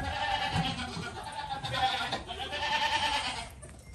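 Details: Goat kid giving one long, drawn-out quavering bleat that holds steady for several seconds before fading, with a low background hum.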